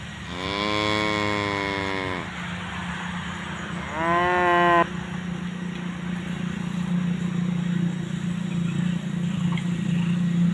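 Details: Grazing tame cows with calves nearby give a long, steady two-second moo, then a shorter rising call; a continuous low droning hum fills the rest of the recording.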